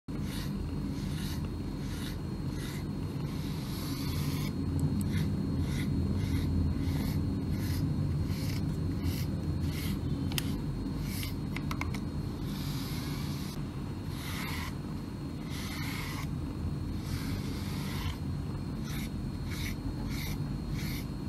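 A domestic cat purrs in a steady low rumble beneath repeated scratchy brush strokes.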